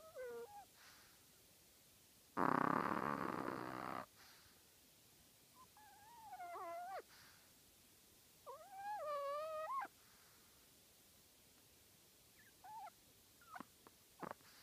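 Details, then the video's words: A tiny 3.5-pound pet Chihuahua snoring loudly in its sleep: one loud, rough, breathy burst, then squeaky whistled nasal tones that slide up and down in short bouts between quiet pauses, with a few faint clicks. "Snoring from my chihuahua"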